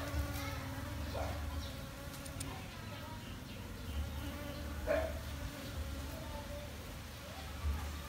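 A honey bee's steady, low droning buzz hums on and off close by.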